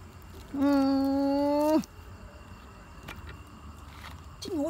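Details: Kitten trapped in a hole, calling with a long steady meow that rises slightly and cuts off, then a short rising-falling cry a few seconds later; low background rumble and faint voices nearby.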